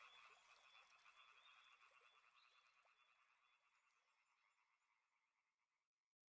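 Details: Frogs calling in a dense chorus with soothing river sounds, rapid pulsed croaks layered and repeating steadily, fading out gradually toward the end.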